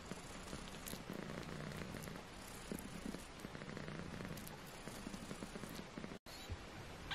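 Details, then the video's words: Young British Shorthair kittens, four littermates aged 18 days, purring in a continuous low vibrating drone, with light rustling and scratching noises and a brief dropout near the end. "British shorthair Tiny Kittens 18 days old"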